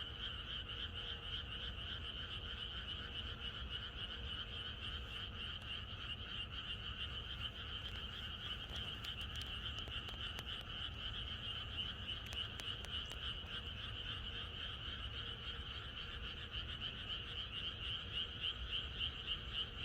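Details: Night before rain in the countryside, a large frog choir croaks without letup, quick rhythmic pulses merging into an unbroken buzzing chorus, with a few brief clicks partway through.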